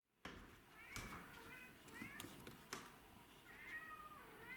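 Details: Pet cats Tom, black and white, and Mimi, white and ginger, begging to be let inside: three drawn-out, harmonic meows a second or so apart, with sharp taps and knocks between them.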